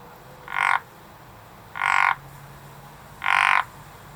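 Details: Frog calling in a garden: three harsh, buzzy croaks, each about a quarter second long, repeated roughly every 1.4 seconds, over a quiet background.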